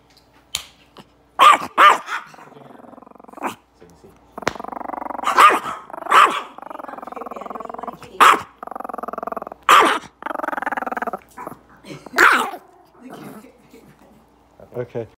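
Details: Mad Chihuahua letting out long, rattling growls that rise into short, high barks at irregular intervals, with a brief human voice now and then in a quiet room.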